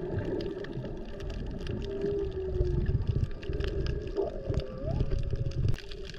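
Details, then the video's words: Humpback whale recorded underwater on a GoPro while snorkeling off Maui in peak whale season, mothers and calves nearby; a steady mid-pitched moan gives way to a rising, sliding whistle-like upsweep, over bubbling water and low boat rumble. "Listen to the whales!!!"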